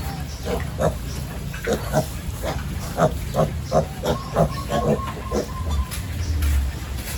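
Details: Penned farm pigs at the morning feeding, grunting in a quick, rhythmic series of short, low pulses, roughly two or three per second, over a busy background hum.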